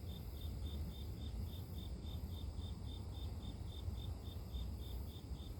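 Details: Grass insects in a recording of pure nature for sleep: a high, clear chirp pulsing steadily about three times per second, over a constant deep low rumble and faint high, even hiss.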